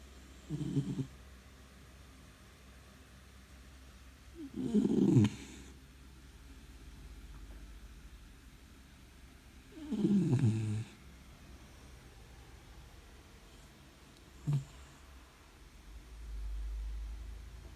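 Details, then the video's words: Sleeping four-month-old brown Labrador Retriever puppy snoring loudly: low, rasping snores in bursts roughly every five seconds, each lasting about a second, over a faint steady background hum. "Brown Labrador Puppy Loud Snoring"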